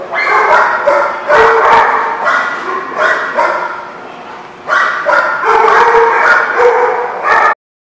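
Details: Chorus of dogs at The Barking Lot on 22 April 2016, loud harsh barks overlapping in dense bursts with short yips, a lull midway, then renewed barking before an abrupt stop.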